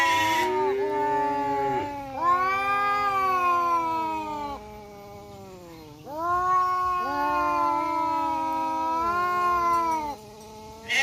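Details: Two fighting male village cats, a black tom and a striped tom, in an Indonesian forest produce long harmonic yowls in bursts of about four seconds, each swelling and sagging, separated by quieter low growls.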